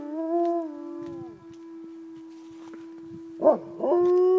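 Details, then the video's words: Gray wolves at Como Zoo in St. Paul howl in long, steady, low tones, a second voice joining near the end; the recordist guesses, unsure, that it is a territorial howl. "Wolves howling at Como Zoo in St. Paul"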